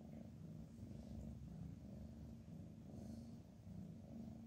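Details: Sleeping cats with heads pressed together purr steadily; a low, even rumble with regular breathing pulses, each inhale and exhale cycle lasting roughly a second, nothing else audible.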